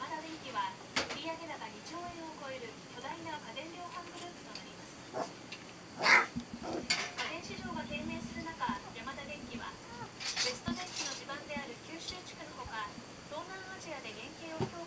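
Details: Twenty-two-day-old Border Collie puppies Ren, Ten, Jasmine and Swan, born 23 November 2012, give many short high squeaky whines, arching up and down in quick overlapping bursts, with sharp clinks and knocks indoors.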